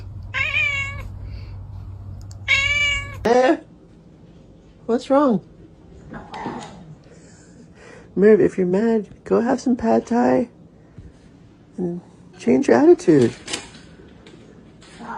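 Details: Domestic cat meowing indoors in a string of drawn-out, wavering calls, some rising and falling in pitch, in short bursts separated by pauses, with low background hum early on.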